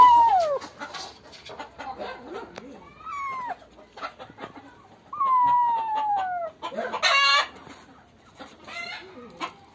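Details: Black and white kitten, found hiding with another kitten at a farm and caught by the tail, meows in drawn-out, falling, wavering cries, several in a row, with brief scratchy noises and a loud hissing burst between them.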